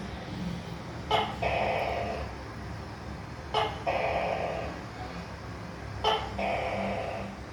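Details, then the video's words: Three gecko calls about two and a half seconds apart. Each is a sharp click that turns into a hoarse, croaking note lasting under a second, over a low, constant hum. "Tắc kè kêu gecko leopard sound"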